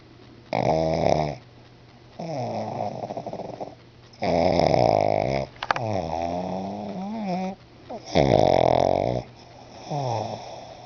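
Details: Bruno, a pet pug, snoring while asleep indoors: rough, rattling snores about every two seconds, some carrying gliding, wheezy whistled tones that sweep downward between the louder rasps.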